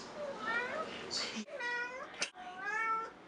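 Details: Domestic cat giving three long, wavering meows in a small room, each with a rising-then-falling arc, separated by short gaps, with faint voices around them.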